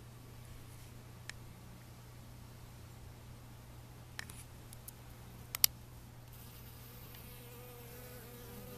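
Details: Worker honey bees gathering water for the hive give a low, steady wing hum, with a few faint clicks and taps.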